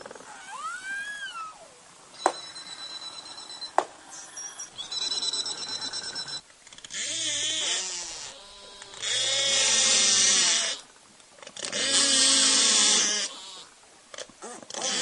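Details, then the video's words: Belugas, called canaries of the sea, recorded underwater in the Arctic: a rising-falling whistle, sharp clicks, then long harsh bleating squeals in bursts of about two seconds. "encore les béluga aussi appelés les Canaries des mers observer uniquement au nord en Arctique"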